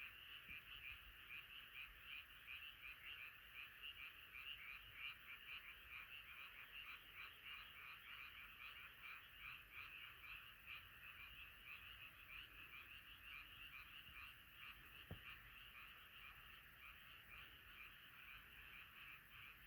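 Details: Night chorus of many frogs; an unbroken, rattling blanket of croaks throughout, with one faint sharp click partway through.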